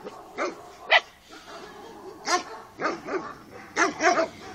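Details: Carpathian Shepherd Dog puppies, a Romanian breed, heard at some distance giving short, rough yelps and small barks at irregular intervals. A faint hiss of background noise runs underneath.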